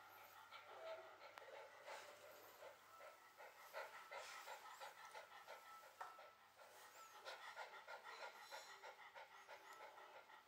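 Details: A well-behaved Shiba Inu held in someone's arms pants in rapid, breathy bursts about three per second, the rhythm less even, with faint voices and soft handling noises nearby.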